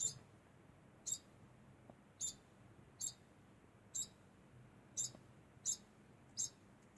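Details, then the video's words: Degu making a constant sound: clear high-pitched squeaks repeated roughly once a second, eight in all, over a quiet background. "Degu makes constant sound"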